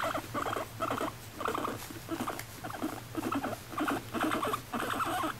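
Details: Pet female guinea pig Moru-chan, kept at home in Japan, gives a steady run of clustered scratchy bursts with brief squeaky notes, roughly two groups each second, over a low constant hum.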